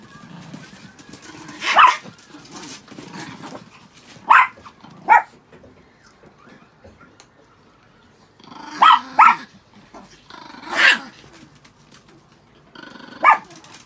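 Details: Six pet Chihuahuas after a shampoo, giving short, sharp, high-pitched barks in scattered bursts, some single and some in quick pairs, around seven barks in all, with quiet shuffling and faint rustling between them.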